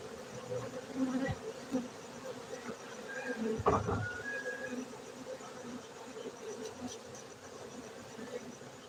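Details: Honey bees kept for honey in Bener Meriah, Gayo highlands of Aceh, Indonesia, droning continuously in a low, even hum, with a short thump and a faint thin whistle partway through.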